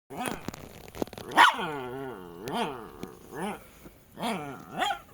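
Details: Jack Russell terriers Treisy and Azzuro: a series of high, wavering whines and yelps, each rising then falling, repeated roughly every half second to second, with some growly undertones and a clattering sound near the start.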